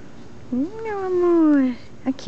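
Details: A female Pembroke Welsh Corgi puppy playing in Brazil gives a drawn-out, tonal whine that rises briefly and then slowly slides down.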